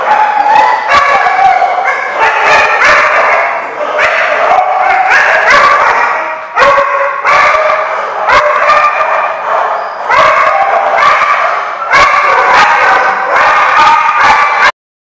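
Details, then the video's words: Several dogs at a kennel lot, 29 June 2015, keep up a loud chorus of overlapping barks and yelps, almost without pause for fifteen seconds, harsh and tonal, ending abruptly. "The Barking Lot"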